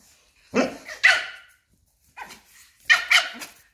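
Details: Small Papillon standing up to a much bigger Belgian Malinois and cornering it: sharp, high yapping barks come in quick doubled bursts, two pairs with a softer bark between, at irregular intervals.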